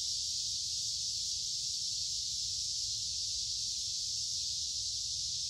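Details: Many cicadas calling in woods beside a creek during the middle of summer on a humid, warm day, forming a continuous shrill buzzing wall of sound without pauses.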